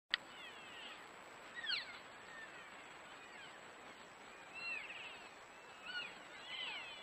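An elk gives brief, high squealing chirps that sweep up and down, spaced a few seconds apart.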